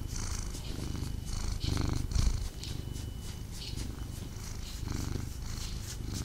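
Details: House cat snuggling and purring indoors; deep rhythmic purr swelling and easing with each breath, close and steady, with light rustling and a brief bump partway through.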